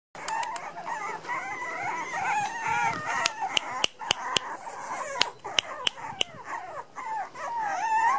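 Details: Miniature Pinscher puppies, one month and eleven days old, born 6 November 2014, in Los Teques, Venezuela; several overlapping high wavering squeals and whines, with sharp clicks and knocks scattered through.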